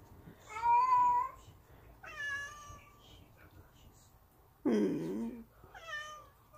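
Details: A pet cat staging a protest to demand treats indoors, giving four drawn-out, harmonic meows spaced about every one and a half seconds, the third one louder and harsher, in a quiet small room.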